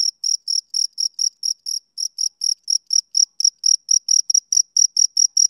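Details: Shrill, clipped chirps from a male cricket on a summer evening, roughly four each second, slightly uneven in spacing and loudness, with a quiet background.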